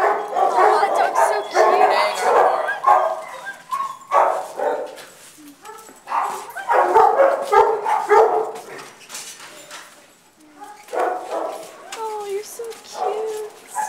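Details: Harry, a young border collie puppy, gives short, high yapping barks in quick irregular bursts, some with a whimpering edge, while excited human voices talk and coo close by.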